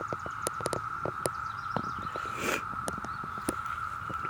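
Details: Ohio cicadas of Brood V sing in a June 2016 chorus, a constant even-pitched buzzing hum running throughout, broken by repeated loud clicks and rustles from handling nearby.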